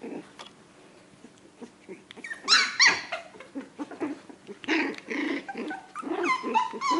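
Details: Four-week-old Australian Terrier puppies during socialization with people and other pets: scattered high whimpers and short squeaky whines, then a cluster of overlapping yelps and low growly grumbles toward the end.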